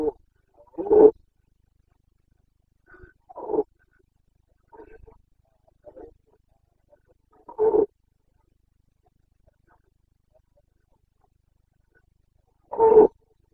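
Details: During the breeding season on 29 September 2022, a Carpathian stag in the Bucovina mountains of Romania gives brief, rough roars spaced several seconds apart, with faint grunts in the silent gaps.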